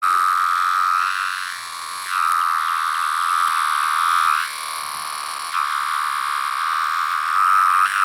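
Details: A 17-year periodical cicada of a larger variant with yellow-brown striping under the abdomen, usually high in trees, gives a steady, high whine that drops in pitch at the end of each phrase.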